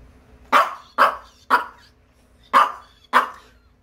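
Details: Dubu, a Maltese recovering at home from cruciate ligament and spay surgery, barks angrily indoors after grooming: five sharp, mid-pitched barks, four at about half-second spacing, then a pause before the last, with people's voices around.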